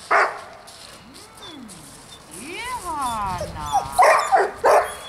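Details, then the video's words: A few sharp dog barks during distraction training at a dog school, at the start and again near the end. Between them come human voices and sliding whistle-like tones. "haukkuvan koiran häiriötreeni"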